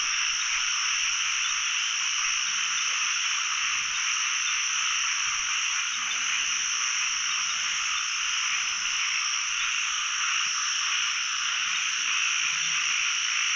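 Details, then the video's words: A pond in Thailand packed with calling narrow-mouthed frogs on the first catching outing of the year. A long, even, high-pitched chorus drones without a break, with many voices blended into one steady hiss-like buzz. "จับอึ่งครั้งแรกของปี ร้องเต็มสระเลย"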